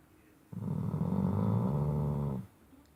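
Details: Loud night-time snoring from a sleeping Shar Pei pup on a bed: after a short silence, one long, deep, rattling snore of nearly two seconds, steady and gravelly, then quiet again.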